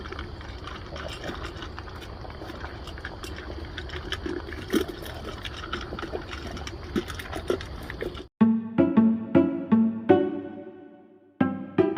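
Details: A steady watery hiss gives way to plucked musical notes, with no animal sound. Only background noise and music can be heard.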